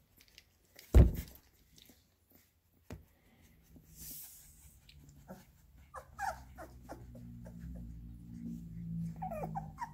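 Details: Labrador Retriever puppies given minced beef: one sharp thump early on, then a low, steady rumbling growl that builds over the last seconds, with a few thin squeaks above it.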